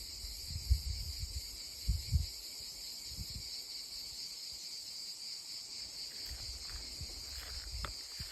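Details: Cicadas in olive trees sing at their loudest in a steady, high-pitched buzzing chorus.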